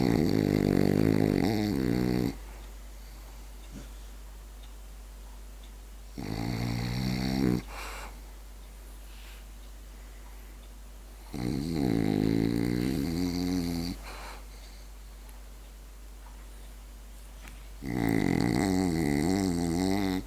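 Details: French bulldog fast asleep, snoring in four harsh, vibrating bursts about every five seconds, each lasting one to three seconds, with quiet gaps and a steady low electrical hum.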